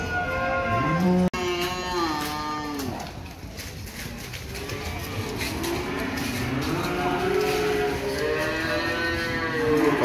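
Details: Cattle at the Ambarketawang cattle market in Gamping, Yogyakarta, Indonesia: a loud, drawn-out harmonic moo that bends downward, followed by several overlapping lower moos from other cows, with a busy market crowd murmuring behind.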